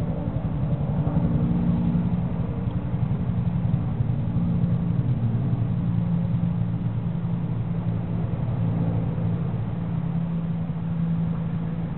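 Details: A steady low engine rumble and whir from a running vehicle fills the recording, with no animal calls.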